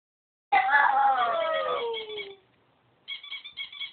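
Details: Buddy the pug singing indoors: one drawn-out howl that slides steadily downward for about two seconds, a short silence, then a higher, wavering, quieter note that trails off.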